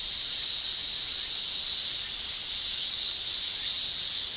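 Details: A constant, even high-pitched drone from male cicadas singing in a Japanese summer, unvarying shrill buzz with no breaks or other voices.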